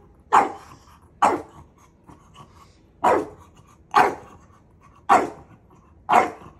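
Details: Teasing his older brother, Maui the dog lets out six clipped, forceful barks at intervals of about one second, with a slightly longer gap in the middle.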